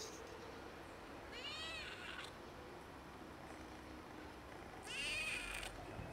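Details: Pregnant cat with a kitten, both asking for food in broken meows; a wavering meow near the start, then a louder, brighter rising-falling meow about three seconds later, against constant low background noise.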